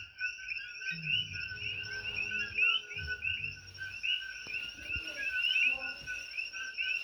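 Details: A dense night chorus of invasive coqui frogs on Hawaii's Big Island, shrill chirping notes overlapping into a constant high ringing that lasts all night.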